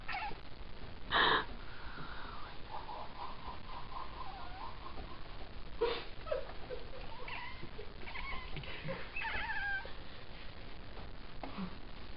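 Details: Indoor cat watching birds fly around outside, making a strange noise: a string of short, thin, chirping and trilling calls, some rising and falling, scattered over twelve seconds, with a loud thump early on and faint background hiss.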